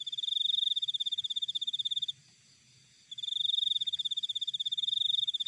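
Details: Cricket from nature giving two high, buzzing pulse trains broken by a one-second pause, each made of rapid regular chirps, with soft low background noise.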